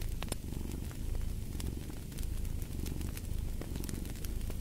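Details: Deep, continuous purring from a cat, pulsing gently with each breath, while a fire snaps and crackles in short bright bursts over the top.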